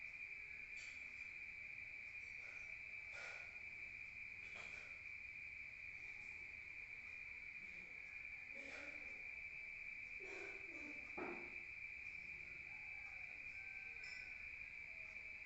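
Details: Rural crickets chirping at night, heard from outside, form a constant shrill trill at one steady pitch, while several short broad crackles and taps break in at irregular moments.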